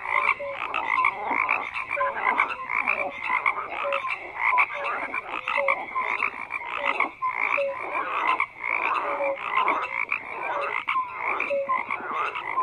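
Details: Continuous frog chorus with crowded rasping croaks and small tonal notes popping through roughly each second, steady level, no wind, water or voices.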